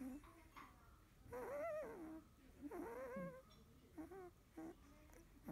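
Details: A 16-day-old field-line Labrador Retriever pup settling to sleep after nursing gives two faint rising-and-falling whimpers, followed by small grunting squeaks against a quiet background.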